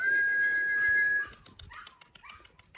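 Lagotto Romagnolo puppies give a long, steady high whine, then a few short rising and falling whimpers.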